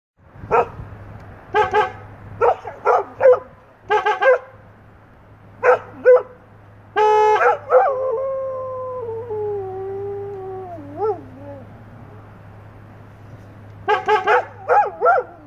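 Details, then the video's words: English Setters vocalising: bursts of short yips and barks, then a long wavering howl that slides downward and ends in quavering dips, before another quick run of yips; steady low hum beneath throughout. "English Setters sing the Song of Their People"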